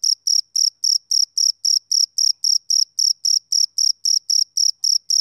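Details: Summer-evening chirping from a male cricket, bright piercing pulses beating at a regular pace of nearly four each second, with nothing else audible.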